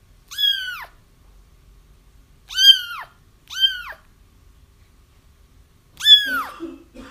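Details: Crying kittens, used to draw a feral mother toward a trap, give four high, down-curving mews at uneven intervals of roughly one to three seconds. The last cry trails into faint lower rustling.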